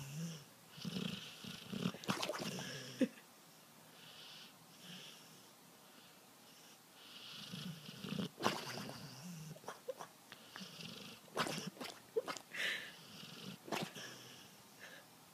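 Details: Sleeping dog gives low, wheezy snores with a purring rattle. They come in a quick cluster at the start, then in scattered breaths among rustling and clicking handling noises.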